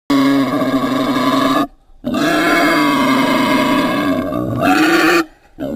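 A boar gives long, harsh, rich-toned grunting calls, broken by short pauses.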